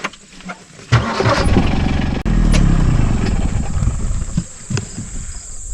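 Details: A vehicle engine starting and rumbling outdoors in the countryside, with clanks and knocks, no animal sounds heard.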